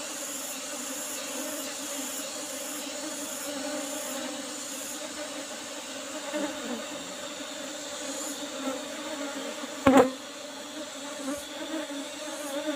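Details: Hum of an Apis cerana colony kept in an old-style box hive while its honey is being harvested. Even droning tones run throughout, with soft high ticks early on and a sharp knock around ten seconds.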